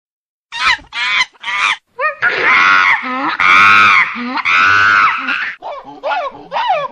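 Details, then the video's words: Monkey shouting while another monkey eats: loud harsh screams and wavering, harmonic wails in short bursts, rising and falling, some short yelps at the start and end, with no other clear sounds. "Samponse monkey eating and other shouting unbelievable voice"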